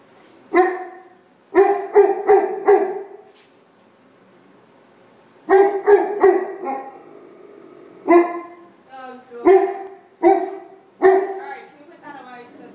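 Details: Dixie, a female dog, barking at Georges St. Pierre on Christmas morning, with sharp, mid-pitched barks in quick clusters of three to four and pauses between groups; a faint voice is heard near the end.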